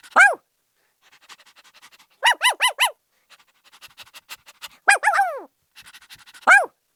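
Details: A happy puppy barks: a single sharp yelp, then a tight run of four high yips, then a longer wavering yelp, with faint rapid panting in between.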